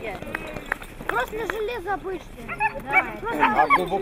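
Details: Siberian husky in Nizhny Novgorod, 3 February 2017, giving wavering, howl-like 'talking' vocalizations: sliding, warbling tones in short bursts with pauses, overlapped by human voices.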